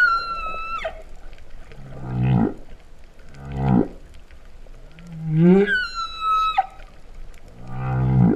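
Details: Humpback whale singing beneath the sea off Vava'u, Kingdom of Tonga, 2015-09: a high falling whistle, two rising low groans, a swooping moan climbing into a long high tone, and a final pulsed groan.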